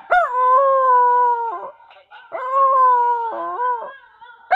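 A Siberian husky gives two long, mournful howls, each holding a steady tone before dipping at the end.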